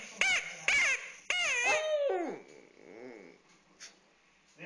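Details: Fluffy, a pet dog, cries as he plays with a stuffed animal: a few short yelps, then two longer wavering whines sliding downward, followed by quiet background sounds.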